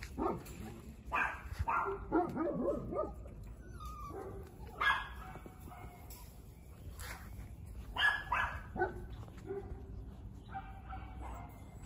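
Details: Female Giant Schnauzer puppy, newly born, giving short whining yelps and squeaks in scattered bursts, some rising and falling, over a steady low room hum.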